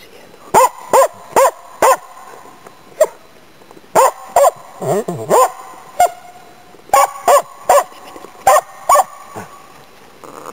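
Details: Autumn 2010 in Inari, Finland: a Finnish Spitz named Nella on a waterfowl and game-bird hunt gives a rapid run of about fourteen bright, echoing barks in bursts of two to four, with a short whining sound midway.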